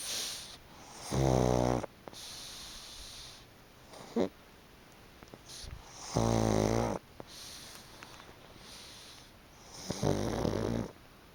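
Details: Chicchi, a pug, sleeps on a fluffy, freshly dried futon and snores deeply: three grating, buzzy snores recur about every four to five seconds, with a faint snort and quiet breaths between.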